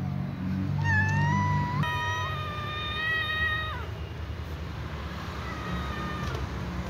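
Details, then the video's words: Little cat butting at other cats gives drawn-out tonal meows. One rises and then holds level for about two seconds, and a softer, falling meow follows later. A low rumbling background is heard throughout. "Little cat meows and butts at other cats"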